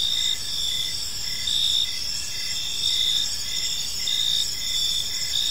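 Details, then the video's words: Gentle chirping of crickets in a serene park at evening, a dense, bright high trill with repeated pulsed chirps under one second apart and steady faint low-frequency background hiss. "Park Serenade: Cricket Sounds in a Peaceful Park | Evening Ambience"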